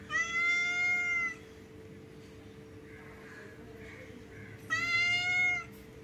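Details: Hungry cats being fed fish give two long, loud, clear meows: a drawn-out cry near the start and another about four seconds later, with a steady low hum and soft murmuring between them.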